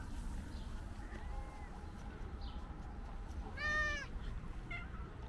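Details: Single loud, arched meow from a calico cat wanting to communicate, followed by a brief fainter call, against a steady low rumbling background.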